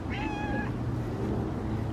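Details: Pet cat wandering into a yard during Christmas light hanging, giving a short high meow amid steady low background hum.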